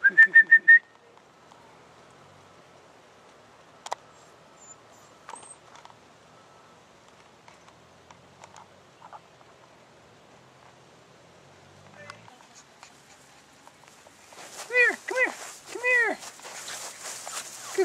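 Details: Belle's puppy Blue at 42 days old, one of a litter: a short burst of high harmonic squeals opens, then near-silence with faint clicks, before a quick run of arched, rising-falling whines and yelps near the end.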